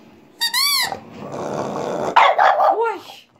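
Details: A female French Bulldog gives loud, high, yelping barks and drawn-out whines, throwing her head back as she "sings" along to a piped tune.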